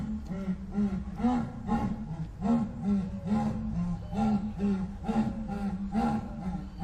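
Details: Jaguar, also called onça-pintada, giving a rough sawing roar: deep, grating grunts in a steady series, about two per second, each with a rising and falling arch, continuing for the whole stretch.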